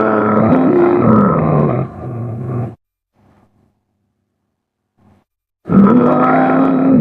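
A muskox gives two deep, harsh bellowing grunts separated by a few seconds of quiet.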